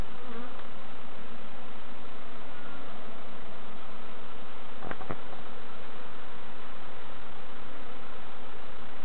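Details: Dense, even droning of bees while novices check their hives at Summerwood Lane Allotments and Community Garden, a continuous rough hum throughout with a pair of brief knocks around the middle.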